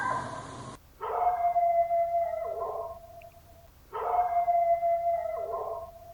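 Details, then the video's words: A Yorkshire Terrier gives two drawn-out howls about three seconds apart. Each begins with a rough burst, then settles into a steady, thin, whining tone that fades out. A brief noisy sound comes before the first howl. "Yorkshire Terrier Howling | Yorkie Howling Sounds"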